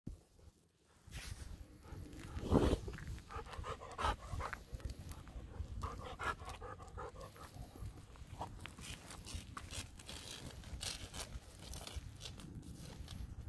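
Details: Two Golden Retrievers waiting outdoors before an expected visitor arrives, enjoying a break in dry weather. Steady breathy panting runs through the clip, with scattered footsteps and rustling nearby.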